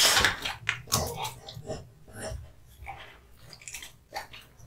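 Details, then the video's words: Male American Bully named Kotetsu gnawing raw meat and bones in a small room, giving dense, wet crunching and tearing noises, a loud bite at the start, then softer irregular chomps and smacks. "MUKBANG ASMR Dog eating hung raw meat and bones"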